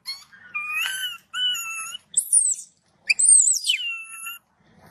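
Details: Baby macaque, angry after its mother refused it milk, shouting loudly: long tonal wailing screams with rich harmonics, some held level, others sweeping high then falling, in bursts about a second long separated by short silences.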